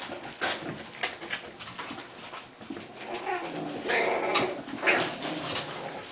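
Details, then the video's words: Playing English Bulldog puppies, four out with the adult Kona refereeing their fights, give soft whines and short squeaky yelps over constant scuffling and rustling indoors. "English Bulldogs Puppies - 4 Puppies play, Kona referees fights"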